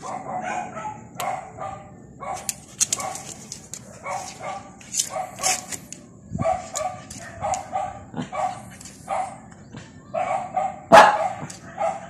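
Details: A dog rolling about gives a run of short, harmonic yips and barks in quick irregular bursts, some doubled, over a constant high-pitched hiss in the background.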